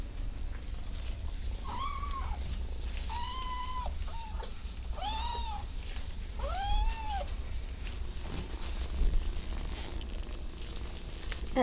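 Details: Kittens indoors trying to get out: four drawn-out, arching meows rise and fall in pitch, roughly one every one to two seconds, over a steady low rumble, followed by a quieter stretch and a woman's voice nearby.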